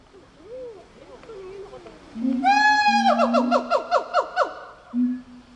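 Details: Gibbon call that begins with faint warbling, then swells into a loud rising hoot followed by a rapid run of downward-sliding whoops, ending on a single sustained lower note.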